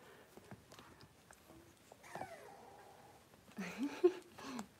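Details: Playful young Cavalier King Charles Spaniel puppies in a pen give a brief falling whine, then a louder nasal whining, grumbling sequence near the end, with scuffling paws and light knocks around them.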